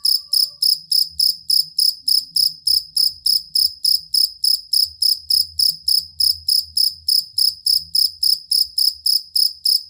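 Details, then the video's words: Cricket chirping as masteran for competition songbirds: a continuous run of sharp, high, buzzy chirps at a steady quick beat, about three and a half per second, with faint low noises underneath. "Suara Jangkrik Master Burung Sangat Ampuh dan Pengusir Tikus"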